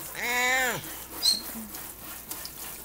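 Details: Old cat Butch, aged 20, protests as bath water starts on July 5, 2012: one loud, arched, nasal meow lasting under a second, then faint splashing and a short high squeak amid household noise.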